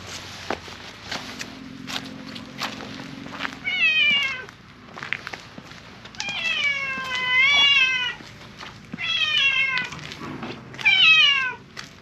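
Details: Silver-grey tabby cat in a park meowing loudly as if appealing for something, four long harmonic wails in quick succession after clicking and footstep-like sounds, each call rising then falling in pitch.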